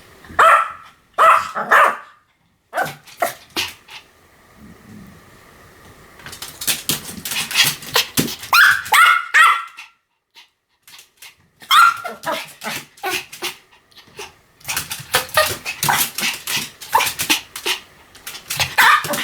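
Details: Rapid, frantic barking from a Pomeranian, dense bursts of high yaps with brief pauses, some rustling underneath, continuing almost without break.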